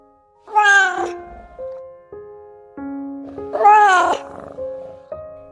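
A domestic cat gives two drawn-out, arching meows a few seconds apart over soft music.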